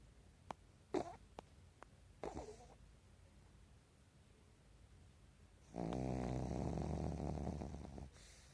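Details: Sleeping Pekingese in REM sleep during a daytime nap indoors, eyes left open; a few faint clicks and soft rustles first, then a long, loud, rasping snore lasting over two seconds near the end.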